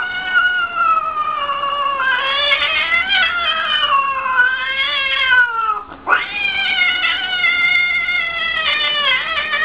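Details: Pet cat from a funny cat compilation, yowling continuously with a rich, wavering, moaning tone. The wail swells and sags for about six seconds, breaks off briefly with a dip, then resumes just as loudly and drawn out.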